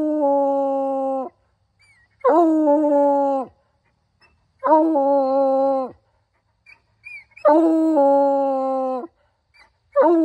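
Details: Hound howling in a series of five drawn-out, steady, harmonic-rich howls, each lasting one to one and a half seconds and ending in a downward slide, spaced about every two and a half seconds, with brief quiet gaps between.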